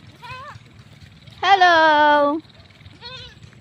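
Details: Pet goat being fetched gives one loud, sustained, quavering bleat lasting about a second, framed by soft human talk before and after.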